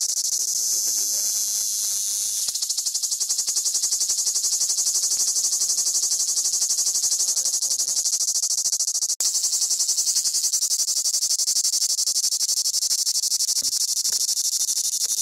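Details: Big cicadas perched on Crimean pistachio trees at Fiolent on the Black Sea shore of Crimea, chirring: an unbroken, high-pitched rasping drone holding steady throughout, with a brief click midway and faint voices beneath.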